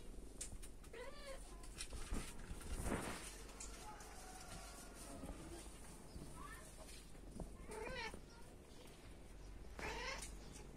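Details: Kittens at dinner time, giving thin, wavering meows in short bursts over a steady background hiss with faint voices.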